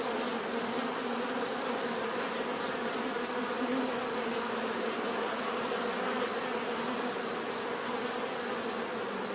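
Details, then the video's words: Bees buzzing naturally, a dense steady hum of many insects with bands around 250 and 500 and a thin high tone near 4.5k, continuous and even throughout. "bees therapy relaxing natural buzzing sound"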